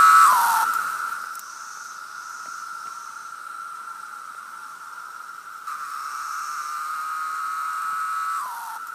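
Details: A cicada sings a steady, high, whining drone that holds one pitch without a break, in Blue Ridge Mountain wilderness.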